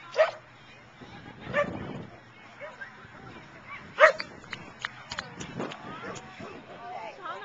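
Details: Outdoor agility trial at the Boone County Fairgrounds, Belvidere, June 2010: several loud, spaced single barks stand out over human speech and clatter, the strongest one midway.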